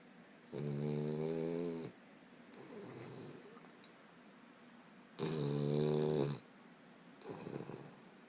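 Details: A very tired 7-month-old French Bulldog puppy, after a day of lots of play, snores with eyes open in slow cycles, with a buzzy, rattling intake and a softer, breathy release.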